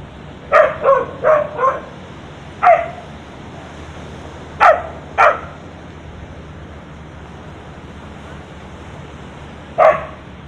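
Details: Street dog on a beach in Thailand barking at a monkey on a tree branch: a quick run of four sharp barks, then scattered single and paired barks with long pauses, over faint steady background noise.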